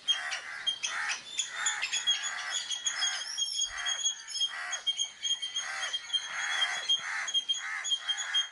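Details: Indian palm squirrel giving its alarm call, made when danger comes to distract the enemy, recorded with a Sony Alpha camera; harsh, rapid chirps repeat about three times a second throughout, under steady thin high whistled tones.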